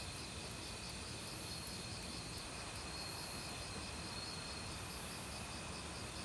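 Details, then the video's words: Autumn forest crickets trilling continuously with other insects, a steady pulsed buzz and a few faint, very high ticks, all over the constant rush of a nearby stream. "가을 귀뚜라미 소리"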